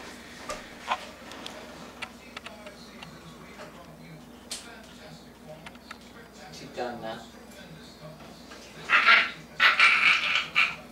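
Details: Jack Rat Terrier puppy Maggie, 9 weeks old, indoors, barking for the first time, at her own reflection in a mirror; mostly quiet clicks and talking, then a burst of sharp, high yapping barks in the last two seconds, with human voices.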